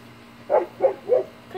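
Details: Airedale Terrier puppies at play with a child at home: three short, mid-pitched yaps about a third of a second apart, clean and evenly spaced, over a quiet room background.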